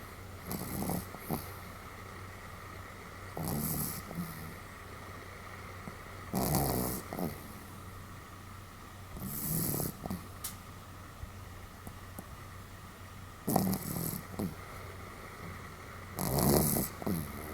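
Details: Pomeranian named Sam asleep, recorded 31 July 2015, snoring fairly heartily: six raspy, breathy snores of about a second each, roughly every three seconds, with quiet gaps between, over a steady low indoor hum.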